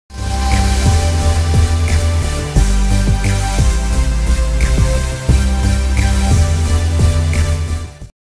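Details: Steady instrumental music with a pulsing beat and repeated bright notes, with no animal voices.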